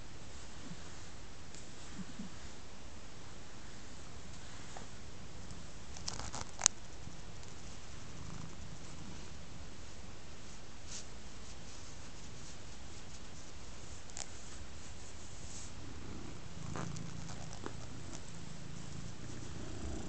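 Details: Ostikka, a large black domestic cat, lies contentedly on a rug while being scratched. A soft, low, steady purr rumbles continuously, with a few faint clicks and brief rustles of scratching.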